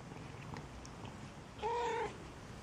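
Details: Maine Coon kitten at a single-breed cattery in Saint Petersburg, Russia, gives one short, level, half-second meow after a few seconds of soft indoor rustling.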